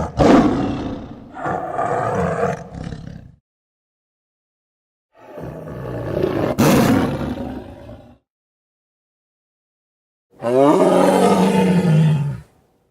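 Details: Lion roaring in three separate bouts, deep rough bellows with rich stacked harmonics, each lasting about two to three seconds, with clean silent gaps between them and no other sounds.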